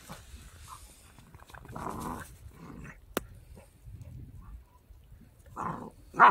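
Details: Pembroke Welsh Corgi puppy, a three-month-old active male born 11 November 2021, kept near Zhukov in Kaluga region, Russia; a few short, rough growling bursts, with quiet gaps and a sharp click between them.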